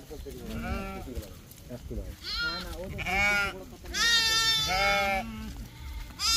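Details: Lamb with a playing child gives loud, shaky bleats, the strongest near the end, rising and falling in pitch, interleaved with a child's voice and chatter.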